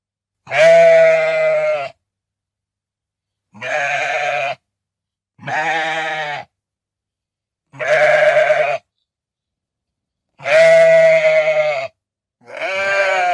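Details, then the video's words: Sheep bleating in six loud, harmonic baas, each about a second long and spaced a couple of seconds apart, steady in pitch with a few slightly rising at the end; no other sounds between calls. "SHEEP SOUND"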